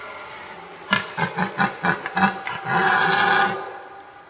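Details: A red deer stag in unfenced, remote woodland in Sologne, France, gives its rutting bellow: six or seven throaty grunts about a third of a second apart, running into a drawn-out, rasping roar that fades after nearly a second.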